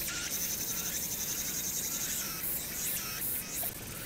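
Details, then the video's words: Cicadas singing on Hwangnyeongsan, South Korea, on a summer night, 1 August 2019, with city noise in the background. A dense high buzz, overlaid with short rising sweeps near the end. "황령산(Hwangnyeongsan)의 여름 매미소리"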